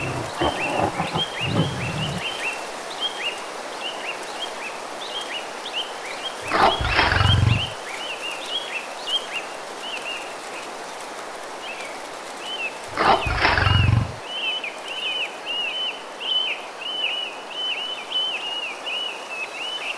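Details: Roars of a Bengal tiger in the mangrove forest of the Sundarbans, India: two deep, rumbling bursts about six seconds apart, set against constant rapid chirping of forest birds.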